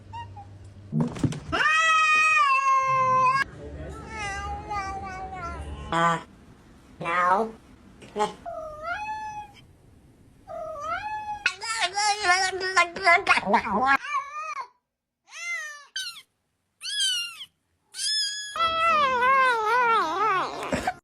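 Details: Funny compilation of domestic cats: many varied meows, some long and steady, others short, rising and falling, in irregular bursts of about three per second, with brief silent breaks.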